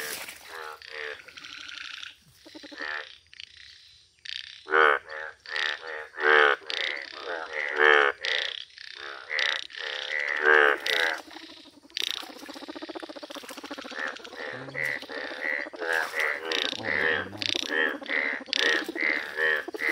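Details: A chorus of Indian bullfrogs, yellow-hued, croaks in nature: rough, nasal calls come in uneven bursts about forty times a minute, several frogs overlapping, with brief quiet gaps early on.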